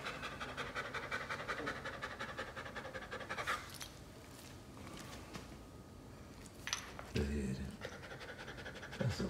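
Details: Obedient one-year-old Wolf Dog of the poodle family, close to 60 pounds, visited in South Carolina, panting quickly and breathily for a few seconds before a quiet pause, followed by a person talking.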